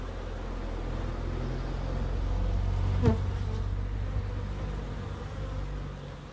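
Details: Steady low hum of bees in a small backyard wildlife garden in Crookes, a continuous drone with a brief sharp click near the middle, fading a little toward the end.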